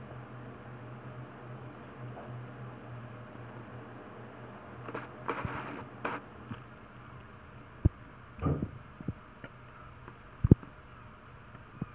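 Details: Quiet indoor hum broken by a few soft rustles, thumps and sharp clicks, with no animal calls.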